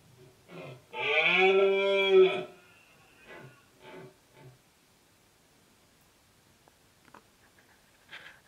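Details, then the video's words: During the autumn rut in the Sierra del Relumbrar, Albacete, Spain, October 2016, a red deer stag gives a loud roar of over a second, then several short, deep grunts, with faint distant calls after. "Berrea en la Sierra del Relumbrar"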